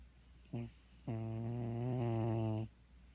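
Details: Sleeping cat snoring indoors: a brief low buzzy snort, then a long, steady, droning snore lasting about one and a half seconds, low-pitched with rich buzzy overtones, over a quiet room hum.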